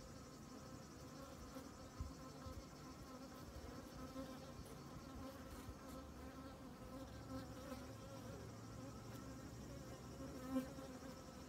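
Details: Honey bees working over comb full of honey; a constant droning buzz from the massed bees, with layered humming tones and occasional light taps.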